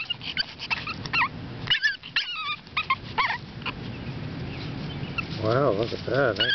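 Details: Seven-week-old AKC Boston Terrier puppies from Bosarts Sparkle and Champion General Lee, posing for a stacking session: a run of short, high, wavering whimpers, then two lower wobbling whines near the end, with a person talking softly throughout.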